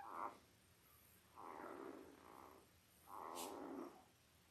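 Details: Five-day-old Labrador Retriever puppies from a litter of eight, five males and three females, born October 15, 2023 to Belle, give three drawn-out, nasal whimpering bouts, each about a second long, with short quiet gaps between.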